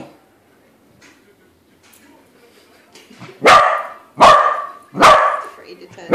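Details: After about three seconds of near quiet with faint low murmurs, a corgi confronting a balloon corgi lets out three loud, sharp barks in quick succession, a fourth starting at the end.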